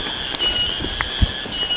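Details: Cicadas, typical of the forest, give a steady, high metallic drone without a break, with a few soft knocks underneath, at a forest-surrounded village campsite in Gunung Halimun Salak National Park, Indonesia.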